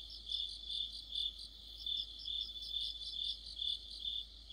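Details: Crickets and other insects singing together in mid-autumn, under a streetlamp: a dense high chirping chorus with a steady band of trills, pulsing in regular swells about twice a second, with no other clear sounds.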